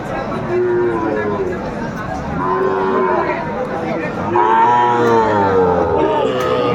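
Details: Sahiwal bulls for sale at the Aftabganj market on 7 May 2024. Two drawn-out, slightly arching moos, the second longer and louder, stand over a busy background of human talk and market bustle.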